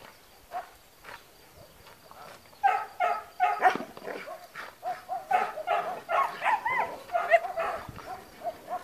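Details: On guard at a Spata training school in Greece, a trained long-haired German Shepherd starts after a quiet opening, then delivers a steady run of throaty barks, some with a yelping, rising edge, alongside faint voices.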